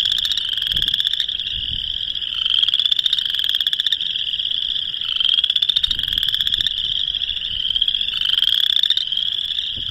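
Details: In March 2021 in Northern Illinois, a chorus of boreal chorus frogs gives rising, high-pitched mating-call trills like a fingernail drawn along a comb.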